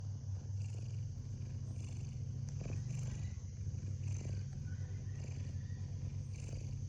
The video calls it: A cute cat sleeps comfortably and makes snoring sounds.